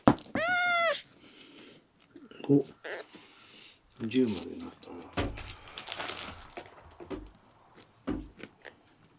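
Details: Miel, a red tabby and white male kitten rescued at one day old, ten days into care, sick and dehydrated and refusing milk, before an olive oil enema: one loud, arching, harmonic meow, followed by quiet talking, rustling and thumps indoors.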